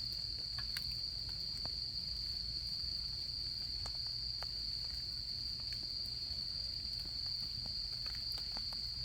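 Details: Japanese autumn insect chorus at a solo campsite with a campfire: one continuous, even high trill holds without pause, while sharp intermittent crackles and snaps from the fire punctuate it.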